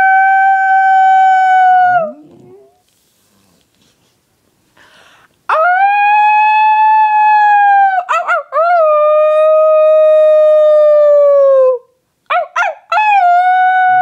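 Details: A female dog that struggles to howl, prompted by her owner, gives long, steady, mid-pitched howls broken by short yelping catches and falling slides.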